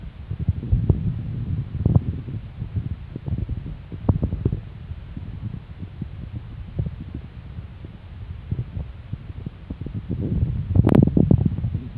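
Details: Low rumbling wind and microphone buffeting with soft rustles, and no animal sounds.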